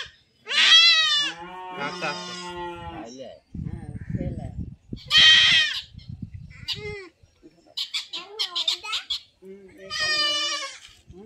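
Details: Goat bleating as it is castrated: loud, harsh, wavering cries broken up and overlapped by human voices and scuffling handling sounds.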